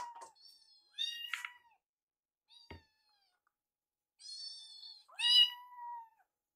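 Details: Foster kittens Yuki and Piyo at their meal; a few clear high mews with stacked harmonics, one rising then falling, separated by quiet gaps and a sharp click.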